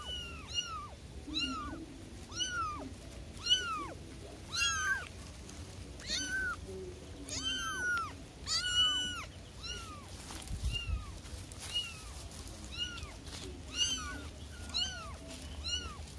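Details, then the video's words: Newborn kittens calling for their mother, a dense overlapping run of high, arched mews, each rising then falling, coming roughly every half second to second from several young cats at once over a faint low background hum. "SUARA ANAK ANAK KUCING BARU LAHIR MEMANGIL INDUKNYA"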